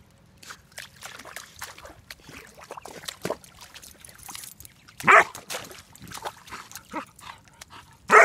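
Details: German Shepherd Dog puppy, almost four months old, bubble barking in a pond on its first visit, a dragonfly nearby: splashing and trickling water, then two sharp barks, the last at the very end.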